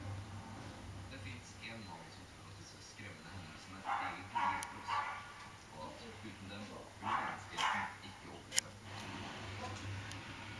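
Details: Dog outside while a fox is beyond the fence: a few loud, separated barks come in pairs around the middle, amid quieter noise, voices and a low hum.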